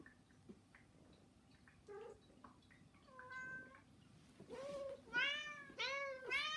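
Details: House cats begging with meows, three cats in one home; faint short calls build into a run of loud, arched, harmonic meows, closely spaced toward the end, over low indoor background noise.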